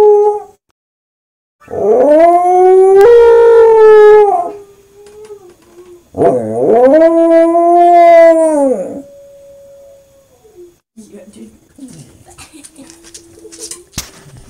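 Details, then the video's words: Pet Corgi taking up howling after listening to German Shepherd howls: two long, rich, harmonic howls, the first rising and wavering, the second steady then tapering off, followed by softer whines and brief quiet yips. "Corgi Nuutti takes up howling after listening german shepards howl"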